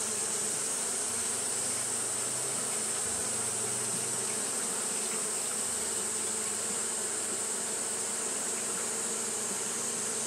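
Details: A steady drone of Japanese honey bees fanning on a hot day, a low buzzing hum with a few brief deeper tones and a constant high hiss throughout.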